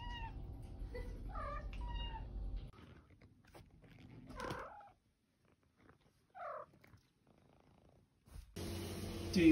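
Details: Female house cat known as The OK Cat utters several separate "okay"-like meows, each a brief rising-then-falling tone, spaced by quiet gaps with soft thumps and a low hum, ending in a loud noisy burst.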